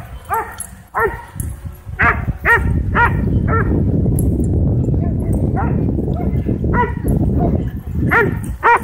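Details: Several dogs at a dog park bark excitedly while chasing a drone, sharp harmonic barks coming in bursts, about two a second at first, over a loud steady rumble of wind or motor noise.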